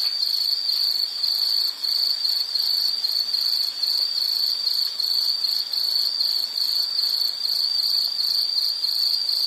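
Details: High, thin insect song made of closely spaced rhythmic pulses, about two per second, held at an even pitch and volume for the whole stretch, with only faint ambient hiss beneath it.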